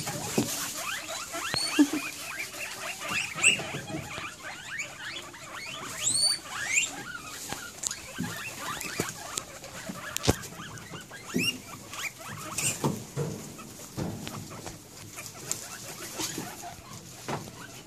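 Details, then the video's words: Excited guinea pigs at possible dinner time give a few thin, rising whistled squeaks, scattered among steady rustling and shuffling noises. "Excited Guinea pigs!"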